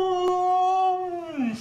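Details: Pet Husky, a female, greeting fans on Valentine's Day with a 'talking' vocalization: one sustained, clear, moaning tone held steady for over a second, then sliding down in pitch at the end, over a soft constant background hum.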